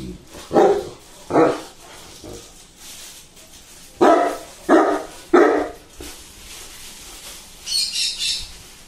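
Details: Saint Bernard after its bath barking in loud, deep single barks, five in a row at uneven intervals, followed by a short high chirping sound near the end.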